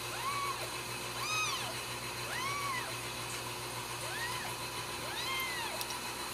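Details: Home-raised Ragdoll kittens at a central Kansas cattery mewing repeatedly, five arched cries with some overlapping in quick succession, thin and high, over a constant background hum.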